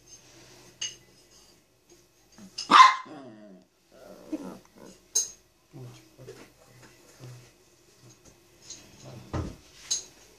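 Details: Chihuahua; whine; demanding attention and petting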